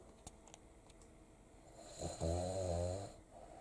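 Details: A 4-year-old male black-and-tan Cavalier King Charles Spaniel sleeps with its eyes open and snores like a bear. After a few faint clicks in a quiet room, it gives one low, rattling, buzzy snore lasting about a second.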